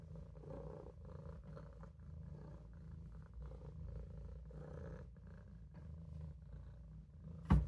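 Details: Olof, a Maine Coon kitten, purrs while napping in a sink: a steady, low rumbling drone with rhythmic pulsing, ending in a sharp click near the end.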